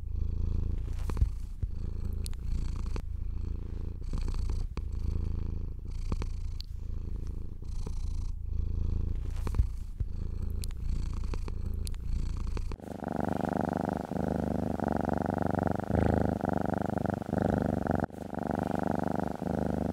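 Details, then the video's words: House cat purring while being stroked: a steady, low, rumbling purr with a fine rapid pulse, broken by soft rustles of the hand on fur. In the second half the sound turns brighter and more muffled, like a close-up purr. "Cat Therapy 4Hrs of Stroking & Purring"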